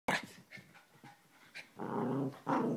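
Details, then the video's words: Hyper Chihuahua, a small pet dog indoors, giving a short yap followed by low rumbling growls and panting, two sustained grumbling bursts near the end. "Hyper dog"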